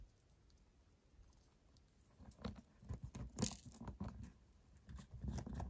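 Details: Quiet at first, then a white hamster starts gnawing a carrot and beet tartlet, building into dense crisp crunching and tearing with one sharp crackle midway.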